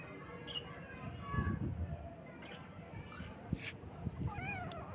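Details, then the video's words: Baby kittens on their first morning, meowing: a few short, rising-and-falling harmonic meows near the end, with low rumbling background noise and some speech-like sounds earlier. "Kitten Meows"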